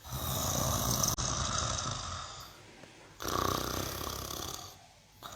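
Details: Mimosa the cow snoring softly. Two stretches of raspy, airy breathing with a faint low rumble are split by a brief quiet gap, and the second breath is a little stronger.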